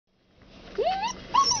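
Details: Red Standard Poodle puppies from a 2008 litter playing in their first snow; two short rising-then-falling squeaky whines, thin and high, over a low background hum.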